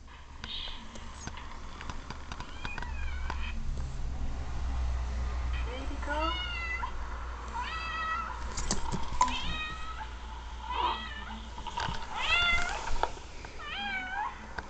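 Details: Domestic cat meows played back from a recording of a kitten's sister while the new kitten listens and searches for her. Several wavering, arched meows come in bursts, with low hum and human speech in the background.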